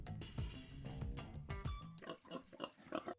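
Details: Domestic pig grunting: deep, short grunts come about every half second at first, then looser snorts follow, all over steady background music.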